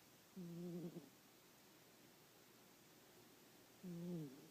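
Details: Pet cat snoring while napping indoors: two low, rough, buzzy breaths with faint overtones, each about half a second long and roughly three seconds apart, in an otherwise quiet room.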